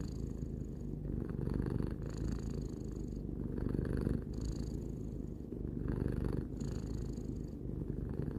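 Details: Tarou the cat, three years old, purring contentedly: a dense low drone broken into regular breath cycles of about two seconds, each with a soft airy upper edge.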